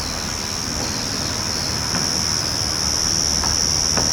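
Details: Yachisuzu ground cricket singing unseen in backyard grass: a steady, continuous thin high-pitched trill over a hiss of background noise with faint low rumble.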